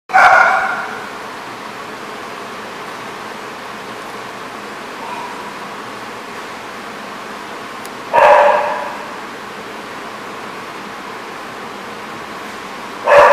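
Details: Dog at The Barking Lot, recorded 23 May 2014: three single loud barks, each short and harmonic, spaced widely at roughly eight and five seconds apart over a steady low background hum.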